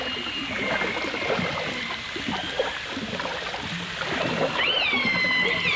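Dolphin whistles, a long steady tone and then a sharp upsweep that curls back down, over rushing water.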